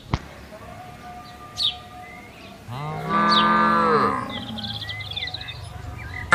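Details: Tame cattle grazing on wide green land moo to call the herd: a single drawn-out, rich moo rising then falling over about a second, set against faint steady tones and a few brief chirps.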